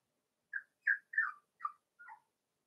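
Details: Young Cavalier King Charles Spaniel puppies playing in a pen at home, one voicing five short, squeaky whine-yips in quick succession, some slurring downward, in an otherwise silent room.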